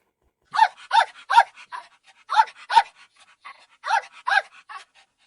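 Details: Dog barking cheerfully, played back in a children's animal-guessing lesson; a lively series of about ten short, sharp barks in irregular clusters over four seconds, with quieter huffs between them.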